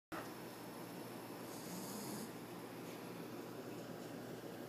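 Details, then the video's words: Fritz, a sleeping puppy, snoring: a soft, steady breathy rasp that holds an even loudness for nearly five seconds, with a faint hiss of breath and no other clear sounds. "fritz snoring"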